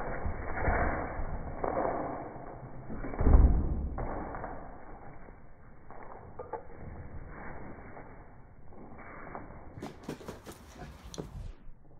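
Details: Muffled slowed-down thuds and rumbles with a sharp crackle near the end, and no barking or other animal voice.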